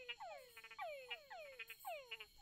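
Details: Male túngara frogs calling at night from forest creek beds on Barro Colorado Island, Panama, courting females while frog-eating bats listen in; overlapping whines sweep steeply downward, several ending in short clucking chucks, repeated rapidly by multiple males.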